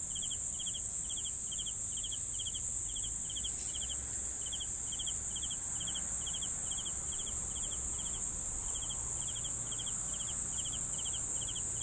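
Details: Steady cricket chirping meant as a sleep soundscape: brief pulsed chirps in an even rhythm, layered over a continuous shrill insect whine and soft low noise.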